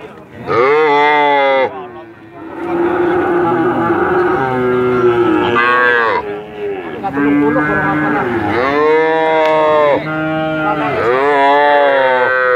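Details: Very long cattle lowing: near-continuous overlapping moos from more than one animal, sliding up and down in pitch, rich and nasal, swelling and fading across the whole stretch without real silence.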